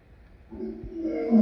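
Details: Lion giving a brief, low tonal call that rises in loudness and pitch over about a second, swelling into a harsh, harmonic-rich onset at the end, with no other clear sounds.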